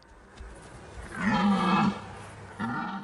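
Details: Male red deer roaring during the rut, when rival males watch each other and only the strongest passes on his genes; a drawn-out harsh roar with layered low harmonics swells and fades, then a shorter second bellow begins.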